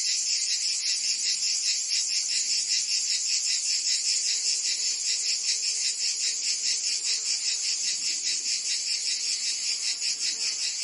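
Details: In a Provence summer, France, many cicadas sing together as one relentless high buzzing drone, its rapid pulses fairly regular, steady loudness and no other clear sounds.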